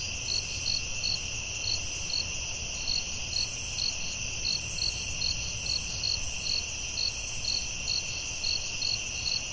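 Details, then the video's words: Crickets calling in the forest at night, a continuous bright ringing tone with regular high pulses, about two to three per second, over faint low background noise. "Soothing Cricket🦗 Sounds at Night"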